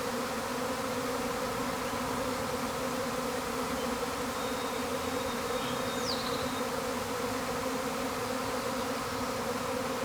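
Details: Honey bee hive in full swarm, compared to a tornado of bees and unlike two calmer hives nearby: an unbroken, thick droning buzz, with one quick falling bird note partway through.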